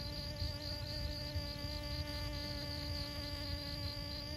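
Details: Close honey bee hum while pollinating flowers at Siosar in Karo, North Sumatra, Indonesia: an unbroken low buzzing tone full of overtones, accompanied by a pulsing high trill of another insect and gusty wind.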